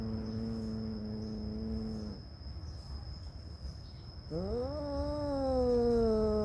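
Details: Cat beside a mother cat that stays close to her newborn kittens: two long, drawn-out meows, the first level and steady for about two seconds, then a pause with low hum, then a second call that rises and slowly sinks.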